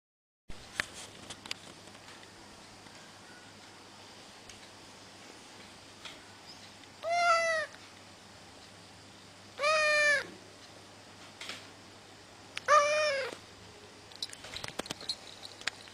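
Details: Nichael, a Russian male house cat who loves to sleep, meows to be left to sleep: three drawn-out, harmonic-rich meows spaced about three seconds apart, with faint clicks and rustling in a quiet room.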